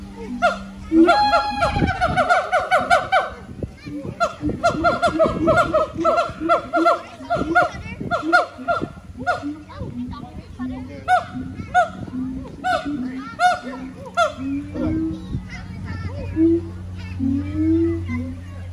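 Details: Siamang gibbons singing in their Honolulu Zoo enclosure on Oahu, Hawaii, September 15, 2022: dense, overlapping loud barks and shrieks, easing into quieter hoots, with a low hum in the background.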